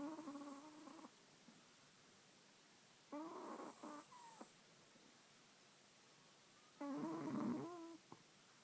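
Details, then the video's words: Chihuahua snoring in its sleep, with three long, raspy, whistle-toned snores roughly every three to four seconds. The last snore is the loudest and roughest, and the room is quiet between breaths. "Chihuahua snoring"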